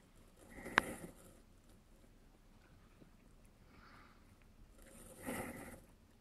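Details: Three-week-old Coton de Tulear × Miniature Pinscher puppies, mother a purebred Coton de Tulear and father a Miniature Pinscher, indoors: two short, high, squeaky whimpers, one near the start and one near the end, with quiet rustling between.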